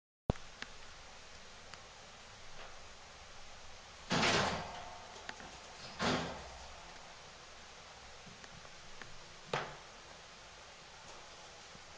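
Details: Indoor room hum broken by a few loud knocks and thuds, like a door or cupboard closing, with no animal voice.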